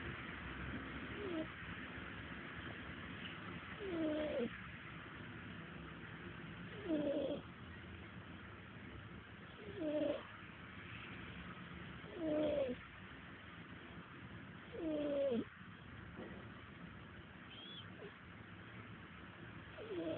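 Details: Taylor the cat snores while sleeping, with soft, whistly nasal snores recurring about every two and a half to three seconds, seven in all, each bending up then down over a faint steady hiss.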